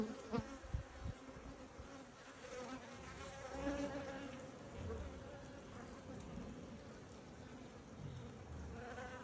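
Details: Hive of honey bees opened for inspection, giving a continuous buzzing drone with a steady low hum and a higher overtone, broken early on by a few soft knocks from handling.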